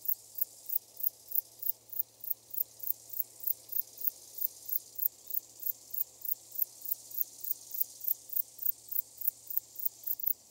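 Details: Eastern grey bush-cricket singing in Nesvady, Slovakia, 22 July 2023, picked up through an ultrasound detector; a long even run of brief sizzling high chirps, roughly three to four per second, with faint background hum.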